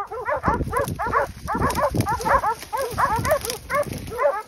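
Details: Pack of hunting dogs at bay on a group of wild boar during a drive hunt in Pratomagno, Arezzo, Italy; rapid, high, arching yelps and barks overlapping continuously from several dogs, little else heard.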